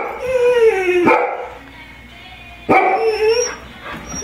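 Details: Several pet dogs, including a Golden Retriever named Trigger and an Irish Setter named Spencer, join in a coyote-like chorus. A falling, wavering howl breaks off at a sharp bark, a quieter gap follows, then another bark leads into a second howl.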